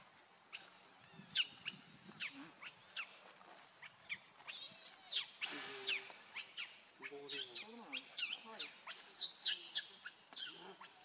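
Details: Baby monkey named Lucie, very hungry for milk, crying: rapid run of shrill, high arching squeals and wavering cries, repeated in dense bursts across the whole stretch, with a steady high electronic tone in the background.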